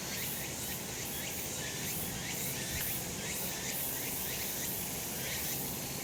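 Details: Summer mountain cicadas in the sun, recorded as an unbroken shrill drone, its upper buzz swelling in soft pulses roughly every second over a constant hiss.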